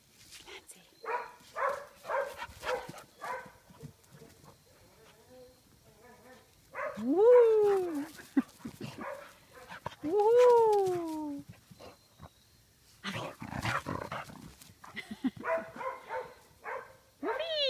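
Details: Clancy, a dog playing in a field, lets out two drawn-out arching whines, each rising and then falling, about three seconds apart. Human speech comes before and after.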